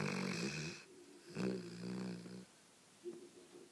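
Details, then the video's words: Asleep, the Cane Corso Sonya gives a series of throaty, buzzing snores, each about a second long, broken by quiet pauses and a short final snort. "Cane Corso. Храпушки Сони."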